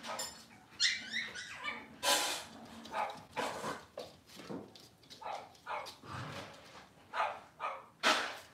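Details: Cavalier King Charles Spaniel puppies from Robin's litter on an indoor kitchen camera, cloudy Monday morning: sharp broadband yips and short barks arrive in quick bursts, with a brief high, wavering whine near the start and faint room noise between.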